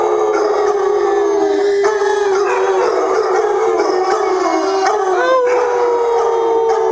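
A Basset Hound gives a long, mournful howl that holds steady, dips, then lifts again.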